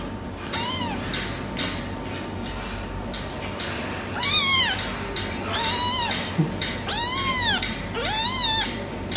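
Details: Silver tabby male cat meowing, four loud arched meows, each about half a second, after a fainter first one, spaced roughly one to two seconds apart over a low steady background hum.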